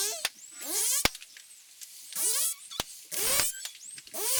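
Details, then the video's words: In an underwater recording in the Mexican Caribbean, on the Mesoamerican Reef near Cancun, dolphins give looping, rising and falling whistles broken by sharp clicks and bursts of pulsed sound. "this was an underwater recording of dolphins in the mexican caribbean"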